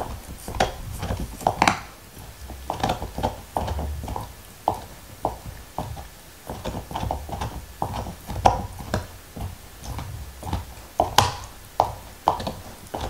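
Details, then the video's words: Nixon the black Lab eats a beef bone indoors in 2019, with no speech. Scattered crunching bites and wet mouth sounds are separated by brief pauses, and a few loud cracks punctuate the chewing. "Dog Eating Bone ASMR"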